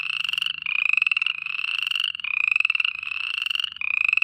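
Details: At night, frogs give high, rapidly pulsed trills that run on with only brief breaks.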